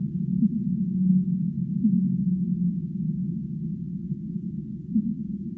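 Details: Humpback whale singing: short low tonal moans, some rising then levelling, around 1, 2 and 5 seconds over a steady muffled underwater rumble, with no other sounds.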